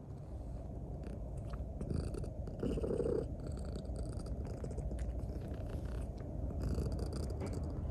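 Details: Toki, a two-year-old grey-and-white female Maine Coon with a heart condition, living as a pet with a veterinarian's family, kneads clumsily and affectionately while purring: a low, continuous, steady rumble with soft rustling and brief scratchy touches.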